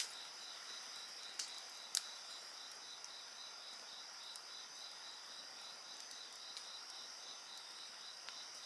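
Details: Insect voices form an unbroken high chorus of a fast beaded trill over steady shrill tones. A few loud pops from a crackling bonfire break through.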